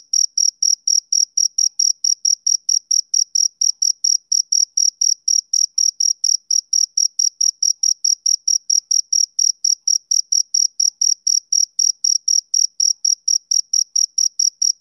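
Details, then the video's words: Male cricket calling on a summer evening, steady shrill chirps repeated about four times a second without pause, alone in a silent background. "Cricket Chirping Sound Effect"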